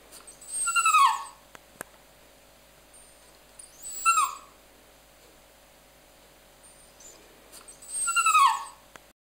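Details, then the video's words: Pet dog Mya 'talking': three drawn-out high whining calls, each falling in pitch and lasting well under a second, spaced about three to four seconds apart, with quiet indoor background and a couple of faint clicks between them. "Mya 'talking'"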